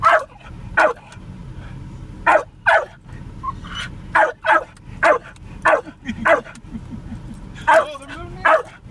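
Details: Spike, a Jack Russell Terrier riding in a car, barks at cows he sees: a rapid string of about fifteen sharp, loud barks, some in quick pairs, over a low rumble of car noise.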